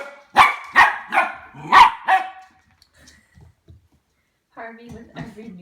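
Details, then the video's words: Ten-week-old Goldendoodle puppy Harvey reacting warily to a new plastic toy: five quick, bright barks in a row, then quiet. A person speaks soothingly at the end. "How Harvey the Goldendoodle reacts to new toys"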